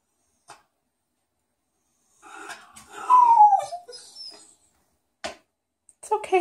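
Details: Cairn Terrier, indoors in a bathroom, upset by a foot bath that is not running: a drawn-out whine sliding downward, with a few short thumps before it, brief scuffs after, and a person's soothing voice at the end.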